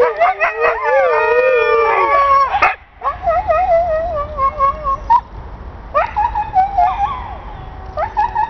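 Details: Pet Siberian Husky with a wobbling howl broken into shorter segments, a pause near three seconds, then lower quavering tones and brief yelping bursts in a choppier, conversational pattern.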